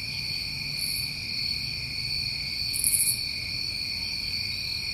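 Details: A constant high cricket chorus from a New England summer, layered tones droning without pause, broken by two short, very high sizzling bursts about two seconds apart and a quiet low rumble.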